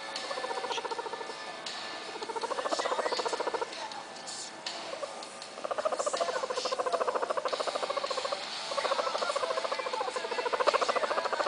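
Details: A guinea pig being petted in a certain way makes a rapid, buzzy, pulsing chatter rising and falling in long bursts; Guinea pig.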